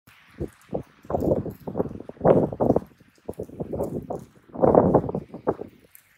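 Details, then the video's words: Two raccoon dogs in a serious fight, crouching into a ready stance. Harsh, rasping bursts come in quick succession, about a dozen rough snarls and scuffles across six seconds, with brief gaps between. "タヌキのケンカ -Raccoon dog battle-"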